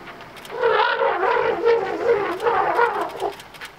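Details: African elephant in Kruger National Park that charged a pack of wild dogs and then a police van, filmed on a cellphone: loud, brassy, wavering trumpeting with pulsing, shifting pitch across about three seconds, plus faint clicks.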